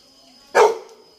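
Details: A Labrador Retriever gives one short, sharp bark, loud and bright, that dies away quickly against a quiet background.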